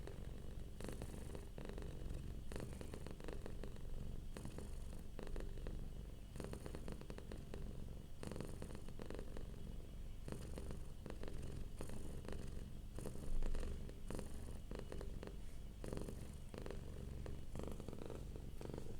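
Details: Relaxed domestic cat purring softly, a continuous low throaty rumble with even pulsing, steady throughout with one brief louder moment midway, recorded up close indoors.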